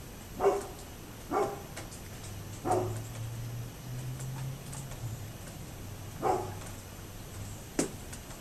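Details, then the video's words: Barking from a neighbour's dog, 27 October 2011: three barks roughly a second apart, a pause, then one more bark, followed by a sharp click, with a low steady hum in the background. "Neighbors Barking Dog"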